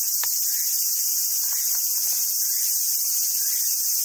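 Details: Cicadas singing in summer at a monkey park in southern Sumoto, Hyogo, Japan, where wild Japanese macaques gather: a steady, dense, high hiss fills the whole clip, with a brief click near the start and faint scattered chirps beneath.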